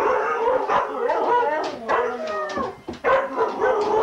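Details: Dense chorus of huskies howling and yipping together during a sled dog race weekend, Forest of Dean, November 2001, from VHS tape; rising and falling tones pile up with a brief dip near three seconds.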